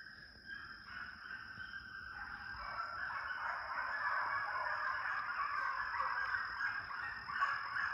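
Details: Pack of deer dog pups chasing coyotes in a high-speed training pen in summer, their blended, honking bays swelling into a continuous, rapid, ragged chorus over a constant high-pitched hum.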